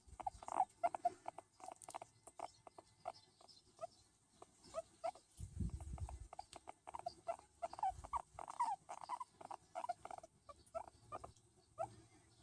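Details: Hairless skinny guinea pig, a pet, making soft sounds while being patted: short squeaky chirps and murmurs in irregular bursts, with a low thump near the middle.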